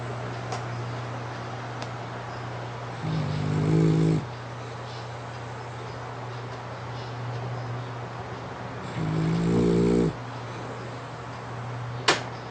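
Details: French Bulldog named Lasha asleep on a pink futon, tired from play, eyes still open, lips puffing with each snore; two harmonic rasping snores about six seconds apart over a steady low hum, a faint click near the end.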